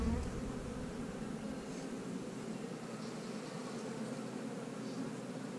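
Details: Honey bees buzzing as a beekeeper searches an opened hive for a hard-to-find young queen; an even, unbroken droning hum with little else heard.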